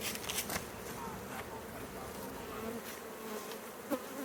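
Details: Continuous low hum of honey bees, an unbroken whirring drone, with faint handling knocks at the start and a short click near the end.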